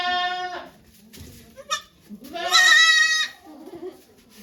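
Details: On a Japanese goat farm, Yoshigake, a goat bleats while the doe Okayu gives birth to twins on 3 May 2023 before watching volunteers. A clear, strongly harmonic bleat opens the clip and a second, longer one follows, with brief soft noises between.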